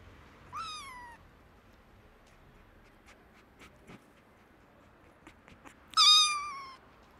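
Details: Hungry orphan kittens, found sick after their mother was gone, meowing for food: two loud, high meows, the first falling in pitch, the second about five seconds later and stronger, with faint clicks and rustles between.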